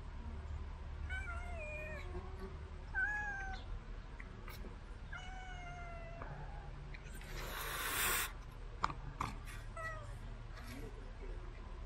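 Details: Cat fed by a remote-controlled car, giving a series of clear, drawn-out meows, each slightly falling, repeated every second or two, with a sharp rustling burst near eight seconds and low background hum.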